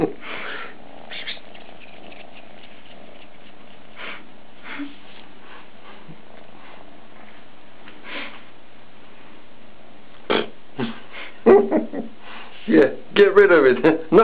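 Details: Captain Cat Sparrow, a two-month-old kitten, indoors in a small room: a quiet stretch, then a cluster of short, harmonic mewing bursts near the end, with people talking nearby.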